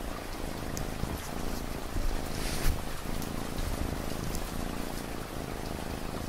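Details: Cat purring, a low rumbling purr pulsing steadily beneath a constant wash of falling rain, with a brief louder patter of drops partway through.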